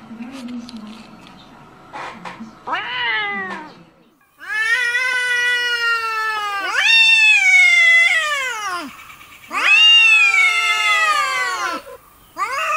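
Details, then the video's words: Domestic cat in a pet compilation giving long drawn-out meows, strongly harmonic and arching down in pitch, three main calls of about two seconds each after a few short early sounds, quiet gaps between. "Funny Cats Meowing ★ Meowing Cats Compilation"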